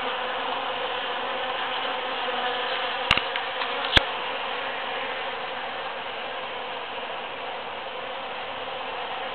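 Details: Busy bees working large cactus flowers in June 2013 make a constant, many-layered buzz, broken by two brief sharp clicks near the middle.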